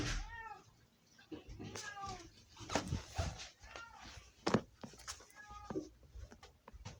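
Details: Domestic cat named Sofie screaming indoors: several short arched meows over a busy background of human speech, rustling and handling noises.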